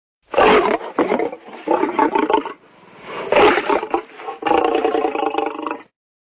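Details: Sloth bear burping: several deep, rough, gurgling bursts with a broad raspy texture, each lasting about a second or two, separated by short pauses.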